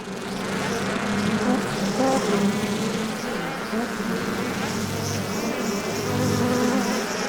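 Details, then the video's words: Bees humming together, a dense continuous buzz with wavering drone bands near the low-mid range and fluctuating overtones, steady loudness throughout with slight swells. "Bee Sounds | Bee Humming Sounds, Collective Bee Sound, Bee Wing Flapping Effect Sound, Beehive Sound"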